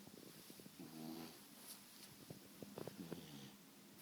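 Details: A sleeping beagle snoring indoors: soft, low, rasping breaths in slow bursts, with quiet rustling and faint clicks around them.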